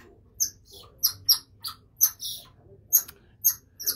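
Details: A female golden lion tamarin in a zoo enclosure alarm-calls at a keeper, giving sharp, high-pitched chirps in quick, irregular bursts.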